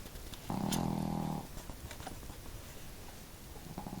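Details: Pet dogs Marimo, a female, and Daigoro snoring together at home, one hearty and one modest; a single loud, droning, humming snore lasts about a second, followed by quieter breathing and faint room noise.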